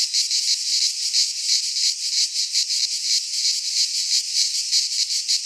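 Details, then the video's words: Cicada chorus from a Greek pine forest in midsummer: continuous high hissing buzz, pulsing rapidly and evenly, loud and close, nothing else audible. "Cicadas singing in midsummer - Nature sounds from the Greek fauna - Sounds of cicadas"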